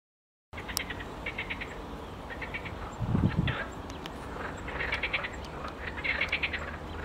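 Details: A marsh frog chorus of rapid, cackling rattles comes in bursts of a second or so, with great crested grebes displaying nearby, over a steady background hum and a brief low splash-like rumble.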